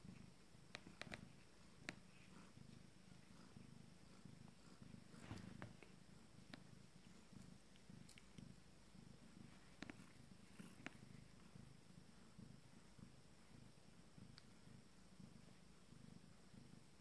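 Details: Abyssinian kittens of a first litter, 19 days old, purring while nursing; a steady low rumble runs throughout with scattered faint clicks and rustles.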